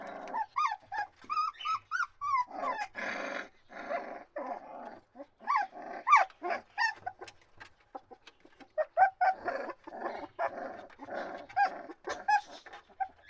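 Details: Dog whimpering and yelping, quieter and mixed: thin rising-falling whines broken by harsher, noisier bursts, irregular throughout with brief pauses.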